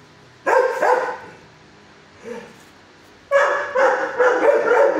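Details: Shelter dog, six years old, barking from its kennel: two loud barks, a soft low whimper, then a rapid string of five harsh barks.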